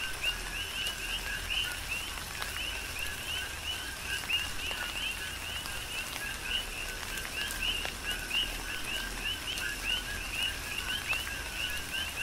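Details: Many coqui frogs on the Big Island of Hawaii call amid tropical rain, producing an unbroken layer of paired chirps, low then rising and piercing, with rain hissing steadily and single drops ticking in the background.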